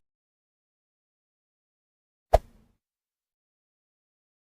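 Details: Near silence, broken only by a single short knock or plop midway through.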